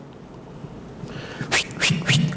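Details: A dolphin gives three high, rising whistles, which it uses to communicate, followed by broadband bursts of sound.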